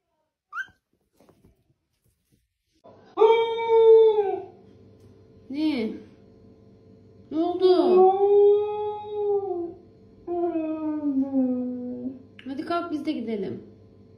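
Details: Siberian Husky 'talking' in a series of about five drawn-out, howl-like moans and yowls with bending pitch, separated by short pauses, over a steady low background hum.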